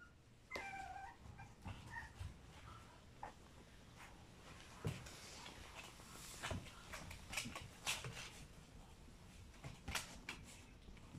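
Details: French Bulldog puppies born on April 6 give brief high, bending whines early on, followed by scattered clicks, thumps and rustling handling noises indoors.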